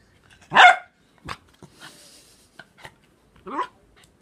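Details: A male Corgi gives a sharp, loud bark, then a few softer yips and a second bark, reacting to the smell of nail polish remover, which he hates.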